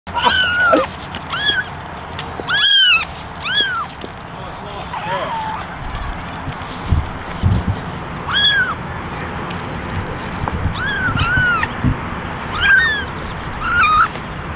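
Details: Eleven kittens, ten ginger and one white, in a basket meowing for attention; high arched mewing calls come in scattered bursts, some overlapping, over a steady background hum with low thumps.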